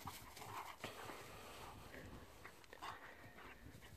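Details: Rhodesian Ridgeback dogs at play, panting and giving short whimpering sounds over a steady background of scuffling and rustling noise.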